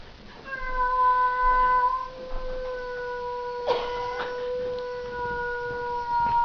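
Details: Pet cat introduced to another cat, its tail puffed up, giving a drawn-out, even, tonal moan that holds one pitch for about six seconds. A brief rustle sounds midway.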